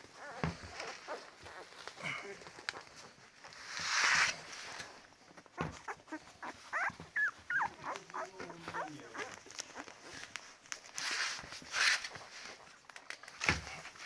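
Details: Ten-day-old Labrador Retriever puppies making soft whimpers and squeaks, with a brief louder cry near four seconds among faint rustling and snuffling.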